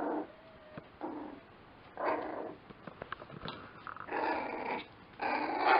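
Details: Lakeland Terrier puppies making rasping growls in several long bursts, each lasting about half a second to a second, over a faint steady background hiss.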